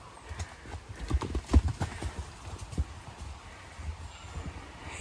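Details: Mare galloping through an opened gate into a fresh paddock on a regenerative farm in County Kilkenny, Ireland, ahead of an approaching thunderstorm. Dull, irregular hoof thuds on grass, loudest near the middle, then fading, over faint background hiss.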